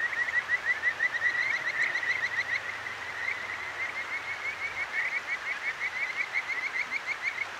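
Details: Kajika frog at night by a clear mountain stream in Akigawa Valley, Tokyo, recorded on a ZOOM H6: rapid runs of short, bright, rising whistled notes at a steady pitch, about three per second, over a constant rush of flowing water.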